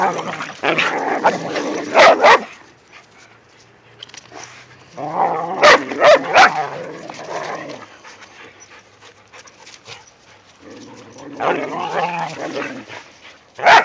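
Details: Whippets playing with a rat terrier in the first light snow of the season, named Mikey, Kieran, Wiley and Zoe; rough, growly play vocalising comes in three bursts, near the start, middle and end, with sharp yips between quieter pauses.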